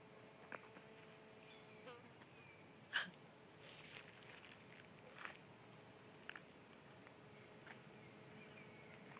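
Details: A large carpenter bee that landed on a person's head in Water Tower Park, Sarasota, Florida, gives a steady, low droning buzz with a few sharp knocks and clicks.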